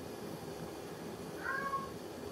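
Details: Munchkin cat; meow; asking for food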